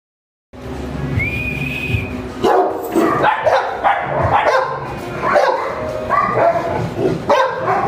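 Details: At a dog kennel in Varanasi, India, a French Mastiff barks in loud, rough bursts after a brief silence, first joined by a thin steady whistle-like tone, with music playing underneath.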